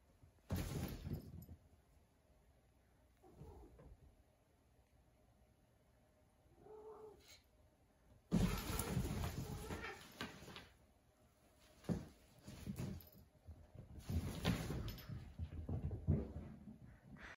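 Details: Two male Siamese cats playing in a tunnel give short, low meows and growly yowls amid thumps and scuffling noises.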